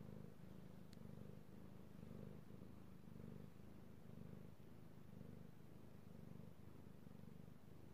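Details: Male kitty cat Io purring as he is petted, recorded 3/16/18; a low rumbling purr rises and falls in clear breath cycles about every two seconds, with a brief faint click near the start.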